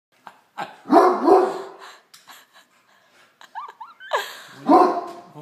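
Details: Great Dane barking at a tray of dinner rolls indoors: two loud, broad, rough barks near one and four and a half seconds, with softer huffs and a short whine between them.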